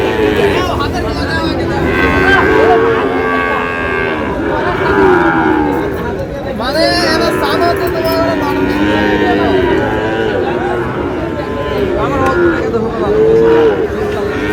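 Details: Several bellowing moos from Sahiwal breed bull calves at a busy Amboari cattle market in Manikganj, Bangladesh, on 14 August, rising and falling over constant crowd chatter and shouted prices.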